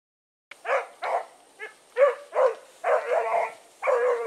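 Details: Blackreek pack dogs Choco, Dino, Johnny Ringo and Mingo, let loose for an evening run on 16 August 2014, give about eight loud, open barks in quick uneven succession, the last few drawn out into longer bawls, after a brief silent start.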